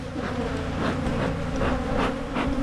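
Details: Hive bees hum steadily while a colony in Michigan is split to discourage swarming, a queen-cell check beginning; the drone stays low and even, with faint rustling crackles scattered through the mass of wings.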